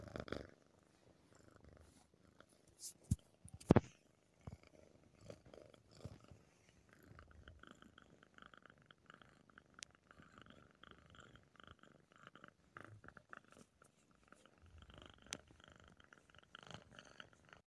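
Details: Tabby tomcat purring as his ears are touched: a quiet, continuous low vibrating purr, with occasional sharp clicks and brushing noises from handling.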